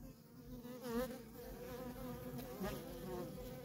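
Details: Worker honey bees at a feral colony, nonstop traffic heard as a steady drone, with individual bees zooming close by, their buzz briefly rising and falling in pitch as they pass.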